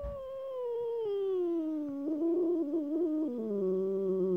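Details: Unhappy domestic cat talking: one long, drawn-out, tonal yowl that slowly falls in pitch, then wavers and breaks into a lower, warbling tail over four seconds, in a quiet room.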